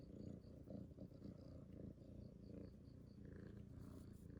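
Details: Rescued kitten purring, a steady low rumbling drone with a faint pulsing texture, held continuously throughout at close range.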